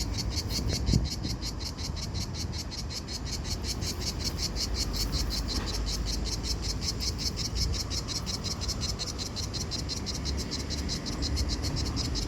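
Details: Cicadas in Italy on a hot summer day around 40°C, singing to attract a mate; a steady, rapidly pulsed high-pitched buzz runs throughout over a low background rumble.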